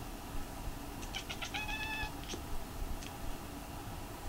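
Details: White Munchkin cat named Ramu, sitting on an indoor chair and gazing outside, chattering: a rapid run of short, clipped, bright chirps for about a second, then two isolated chirps, in an otherwise quiet room.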